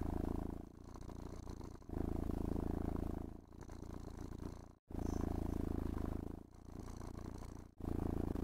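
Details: Contented house cat purring as it is combed with a brush and caressed; low throbbing purr in rhythmic waves, strong and weaker phases alternating about every one and a half seconds, broken by two short pauses.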